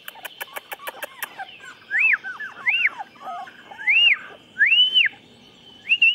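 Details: Chocolate Labrador puppies, 24 days old, making high, thin whines. Each rises and falls in a clear arch, repeating roughly once a second. Soft clicking and tapping come at the start.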